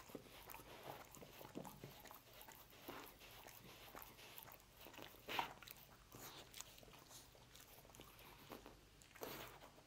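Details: Dog chewing roast beef indoors, continuous moist mastication with scattered crackly bites, two noticeably louder crunches partway through and near the end, quiet room background.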